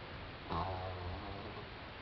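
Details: French Bulldog named Doudou, four months old, asleep and snoring: a single low rumbling snort about half a second long, then a fading breathy rasp over steady background hiss.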